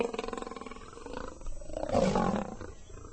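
An African lion gives a rapid, pulsing rumble that swells into a deep, rough roar.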